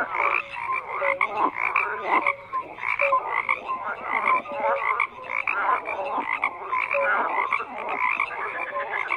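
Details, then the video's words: Frog chorus with rapid rattling croaks and short tonal notes, many callers overlapping in uneven surges that swell and dip every second or two. "FROGS CROAKING"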